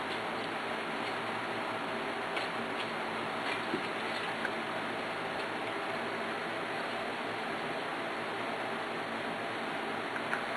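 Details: Steady broadband hiss with faint scattered ticking clicks, no animal voice heard.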